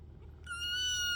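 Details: A kitten's single high, drawn-out meow that starts abruptly and holds a steady pitch, with a low hum underneath.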